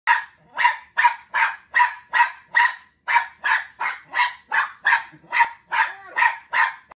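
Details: Pet Cairn Terrier barking at a squirrel shown on television, its arch enemy: a rapid, steady run of about eighteen sharp, mid-pitched barks, roughly two or three per second, with nothing else clearly heard.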